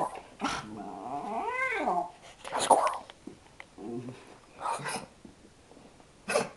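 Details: Pet dog named Sophie swinging from calm to sudden excitement as she is asked about a squirrel and a cat: drawn-out whining yelps with harmonic tones bending up then down, in several bursts, with a voice in between.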